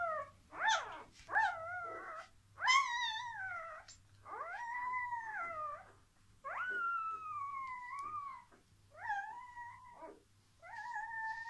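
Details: Dogo Argentino puppies at a breeding kennel, during a relaxation technique for puppies: a series of high, harmonic whines and yelps, some rising then falling, others long and level, coming in irregular bursts with a steady low hum underneath.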